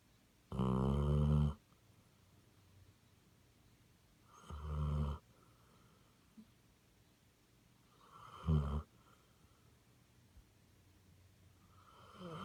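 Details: [1, 'yes', 'snoring', 'Basset Hound snoring, three loud low rumbling snores about four seconds apart, each roughly a second long with a harsh buzzy edge, quiet breathing between and a fourth snore starting at the end.']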